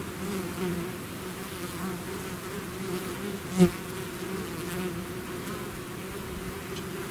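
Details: A bee swarm out of its hive: a steady, dense, low drone with layered hum bands and a fluttering texture, plus one brief louder buzz as a bee passes close midway.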